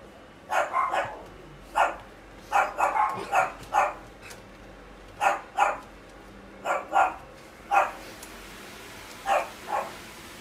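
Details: Female Shetland Sheepdog, sable and white, born 29 December 2017, at a pet shop, giving sharp, high barks singly and in quick pairs and triplets, about thirteen across the stretch with short quiet gaps.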